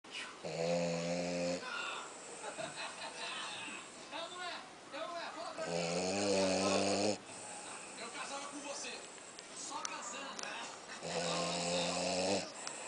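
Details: A tired French Bulldog, sleeping heavily, snores in deep, rattling, harmonic bursts about every five seconds.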